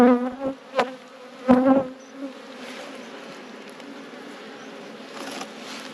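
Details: Honey bees at an opened hive in an apiary while the queen is moved to safety: loud, droning buzzes of single bees flying close pass in bursts over the first two seconds, then settle into a softer background hum of the colony.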